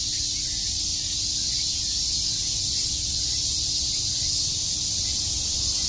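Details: A wall of cicada sound on a summer day in Shakujii Park, Tokyo, an even, high, hissing buzz that never pauses across the whole stretch, with a soft low rumble underneath.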